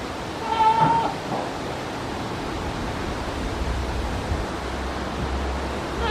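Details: Goat standing on scaffolding, recorded at 09:12 in the morning on 19 November 2019, gives one short, wavering, nasal bleat at the start, then only a steady wind-like roar continues.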